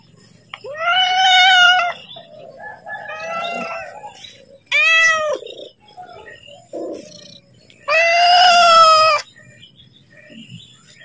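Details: Domestic cat meowing to ask for food as its owner prepares to feed it: four loud, drawn-out meows with rich harmonics, some rising then falling, spaced a few seconds apart, with softer mews between.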